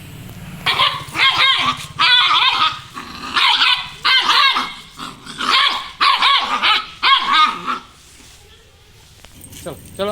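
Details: A dog barks toward another street: sharp, insistent barks in quick pairs and triplets for about eight seconds, then stops as a person speaks briefly in Spanish.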